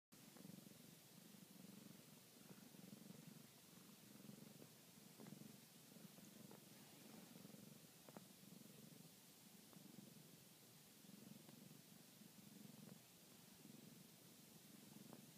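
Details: Domestic cat purring steadily while kneading, a low rumbling purr pulsing in soft waves about once a second through the whole stretch, with faint clicks and quiet room hiss behind.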